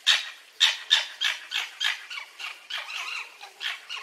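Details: Fox giving a rapid series of short, harsh, breathy calls, about three per second, higher pitched and fading slightly over four seconds, with no other sounds.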